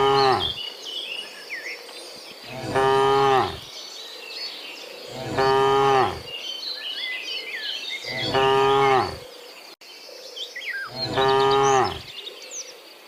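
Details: Cows heading back from the fields to the pen in the afternoon, dozens of them; four long, resonant moos, each about a second, spaced roughly every three seconds, over a background of bird chirps and insects.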